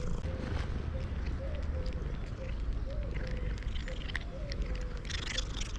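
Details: Male domestic cat purring loudly even while eating: a steady, deep continuous rumble runs throughout, overlaid by sharp chewing and crunching clicks, a faint steady hum and occasional human talk.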